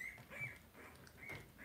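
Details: Theo, a two-week-old blenheim Cavalier King Charles Spaniel puppy, being taken to potty at night in an indoor pen; short, steady, high-pitched squeaks come in quick bursts, three or four within under two seconds, over a quiet room.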